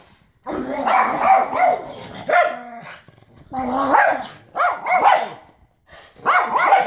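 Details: Male pug excited after bath time: loud, drawn-out barking yowls with wavering, sliding pitch, delivered in several separate bursts with short pauses between.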